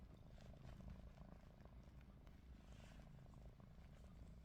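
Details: Faint deep rumble from Ruby the cat, who snores while her eyes stay open, even and unbroken throughout with light rustling above.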